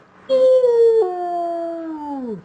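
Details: Wolf howl heard again in an animal guessing game, beginning on a higher note, stepping down after a second, then holding steady before sliding lower at the close.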